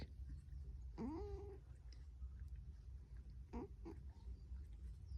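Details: Female cat asleep, making fart-like noises: a squeaky tone that rises and then holds level for about half a second, followed later by a shorter squeak, over a low steady indoor hum.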